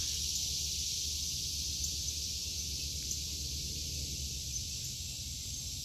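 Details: August 2023 garden cicadas producing a steady, sizzling high-pitched drone with no rhythm or pauses, the dense buzz filling the whole stretch above a muted low background noise.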